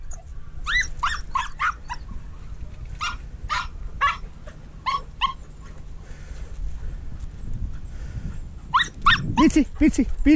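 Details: Treeing walker coonhound hunting mink together with a dachshund gives quick bursts of sharp, yelping barks, two to four in a row with short pauses, ending in a louder, deeper cluster; a human voice and low outdoor rumble underneath.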